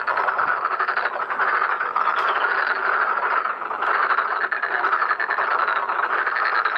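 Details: Massed black-spotted pond frogs at a pond during mating and spawning, producing a loud, even chorus of overlapping grating croaks with no pauses.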